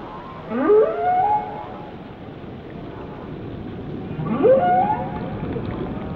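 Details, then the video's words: A whale sings two matching upsweeping whoops that climb steeply and level off into a brief high tone, spaced about four seconds apart over constant underwater hiss. "Song of the Whales"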